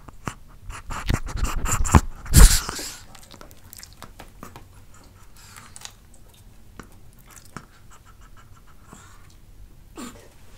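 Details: Pet dog taste-testing different types of fruit indoors, recorded close up: a run of loud wet crunching bites over the first two seconds peaking in one burst, then sparse soft chewing clicks and smacks in a quiet room.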